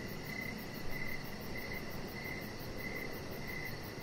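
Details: Crickets chirping outdoors in the evening beside a deck where a chihuahua puppy lies: a steady mid-high pulsed chirp repeating at an even pace, with a faint shimmering high trill above and a constant soft hiss underneath.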